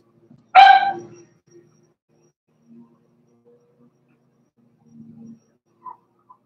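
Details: Cavalier King Charles Spaniel puppies playing in an indoor home puppy pen: one sharp, loud, harmonic yelp bursts out near the start and fades within half a second, followed by faint soft whimpers and small scuffling sounds.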